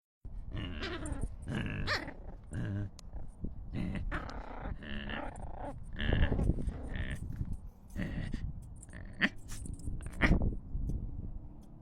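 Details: Eight-week-old Deer Head Chihuahua–Scottish Terrier cross puppy playing with a big black German Shepherd, making rough, low growls and snarls in bursts throughout, with a man talking in the background.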